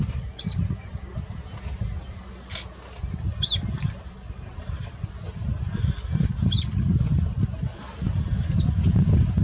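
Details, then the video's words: Upset otters, startled by a crocodile on entering the water, call in alarm while chasing it off: shrill, high chirps rising then falling, given singly or in quick pairs every second or two, over a steady deep rumbling background. "Otters upset with a Crocodile alarm calling"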